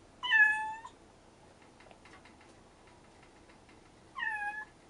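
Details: Rescued stray kittens, brother and sister, calling to each other indoors: a loud, bright meow falling slightly at the end, faint small ticks in between, then a softer matching meow four seconds later.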